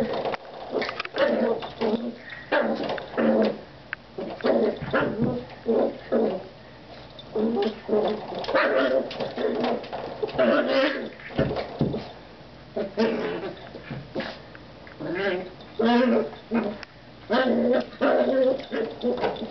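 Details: A Jack Russell Terrier puppy named Claira plays with a door stop, producing a steady series of throaty growling grumbles and muffled yaps in short bursts, spaced roughly every second across the recording.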